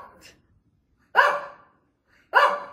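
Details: Older female Shih Tzu barking non-stop, seemingly demanding treats, at night: a faint early yip, then two sharp, loud, single barks about a second apart, each with a quick decaying tail.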